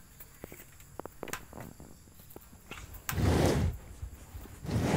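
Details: Cows eating grass in a cowshed: a run of crisp, irregular clicks and crunches of tearing and chewing, then two loud, breathy whooshing bursts near the end.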